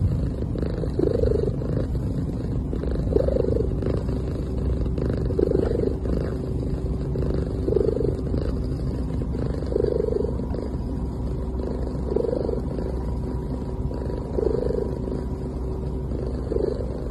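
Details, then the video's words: A sleeping cat making soft sounds: gentle rhythmic purring breaths that swell roughly every two seconds over a steady low hum, with no other clear sounds. "A Cute Cat Making Soft Sounds While Sleeping"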